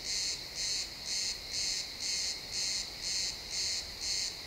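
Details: Pine forest crickets at sunset give rhythmic bright chirp pulses, roughly two per second, each a short buzzy burst with brief gaps between, steady and regular across the short stretch.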